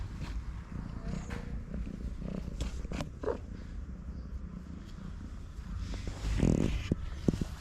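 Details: Kittens in a feral street-cat family, with a low continuous rumbling purr throughout, scattered clicks and rustles, and a brief louder burst near the end.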